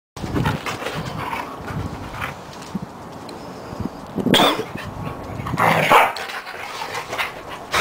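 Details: Two Siberian Huskies play fighting, tussling like heavyweights; short rough growls and yelps burst out in clusters, with louder squealing vocal bursts near the middle and end amid scuffling noise.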